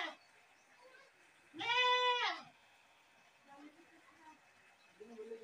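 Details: Screaming goat: one strong, wavering, nasal bleat of under a second in a quiet setting, followed by faint low murmurs.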